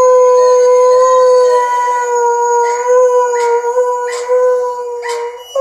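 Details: Doberman at home howling a mournful song toward its owners, one long, steady, loud howl held at an even pitch with strong harmonics, with brief breathy catches every half second or so near the end.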